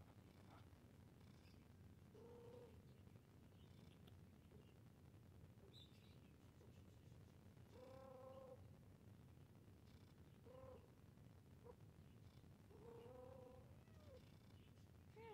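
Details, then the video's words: A playing cat gives about five harmonic meows, each under a second, scattered across fifteen seconds, with faint chirpy sounds between them over a constant low rumble. "Cat Meowing Sound 🤣 Cute Cat While Playing"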